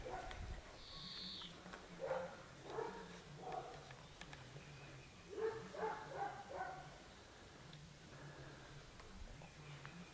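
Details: Young Dogo Canario puppies, 12 weeks old, produce two runs of sharp, tonal barks, three or four each, with a quiet gap between them, against low background hum and a faint high whistle near the start.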